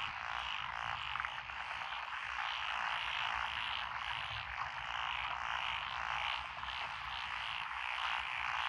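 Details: Rice paddies planted with lotus in Echizen, Fukui Prefecture, Japan, June 12, 2021: many frogs of several species croak together in an unbroken, dense chorus, steady rough pulsing with no pauses.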